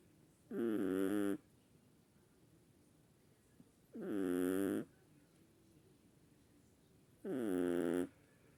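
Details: Chihuahuas snoring: three raspy, fluttering snores, each lasting about a second and repeating roughly every three seconds, separated by near-silent pauses.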